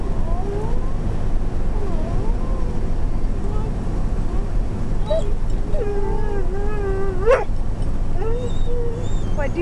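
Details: Inside a motorhome, female dog Zeenah vocalises for her bone: a few soft wavering whines, then a longer sustained, bending moan near the end, over constant low vehicle rumble and a coaxing human voice.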